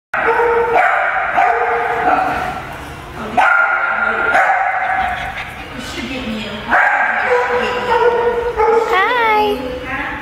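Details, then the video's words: Seven puppies playing together at a daycare, barking and yipping in overlapping bursts, high whiny yelps with harmonic tones, one rising-falling squeal near the end, a person speaking praise afterward. "Puppy Party!"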